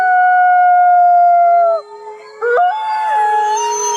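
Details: Arctic fox crying: a long, steady, high howl with rich harmonics holds level for almost two seconds and then slips lower, followed by a short pause and a second cry that breaks upward and wavers.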